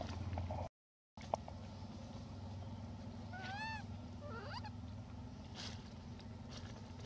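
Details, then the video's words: Elpida, a hybrid monkey, gives one rising, arched whistled coo followed by a quick falling call while asking for food. A brief dropout near the start and a steady low hum surround the calls. "Elpida Requests Foods By Her Beautiful Sound"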